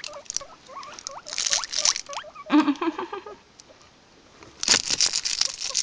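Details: Guinea pigs recorded on an Android phone: short, hooked chirping notes repeated in quick runs, a brief pulsed burst near the middle, and bursts of rustling and scrabbling through the clip.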